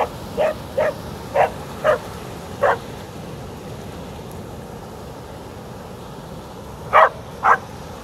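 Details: Milli, a Border Collie, barking at the waves on a beach: sharp, loud barks, five in the first three seconds, then a pause and two more near the end, over a steady low wash of surf.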